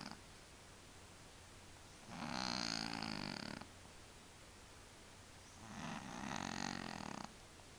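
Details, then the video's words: Tomcat Willy, who has a sinus problem, snores twice, each a harsh, buzzing, wheezy breath of about one and a half seconds, separated by roughly two seconds of near silence. "Kater schnarcht"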